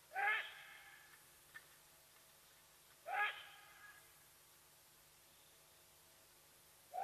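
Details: Side-striped jackal at Nkorho in the fenceless Sabi Sands Reserve beside Kruger National Park, South Africa, calling and giving away Watika the leopardess's presence; short harmonic yelping barks about every three seconds over a steady low hum.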